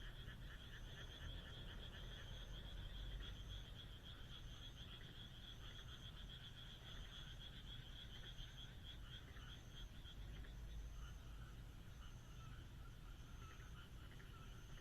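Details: Frog chorus on a moonlit countryside night: rapid overlapping croaking pulses loudest early, thinning after about eleven seconds, with a high thin note repeating roughly every second and a low rumbling background throughout.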